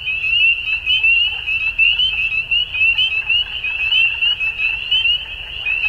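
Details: Dusk frog chorus, a constant high-pitched shimmer of overlapping short rising chirps that swells and fades slightly in loudness over a few seconds.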